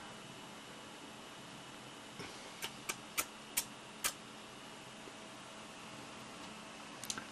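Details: Quiet indoor room hiss with a handful of sharp clicks or taps in the middle and at the end; no animal call is heard.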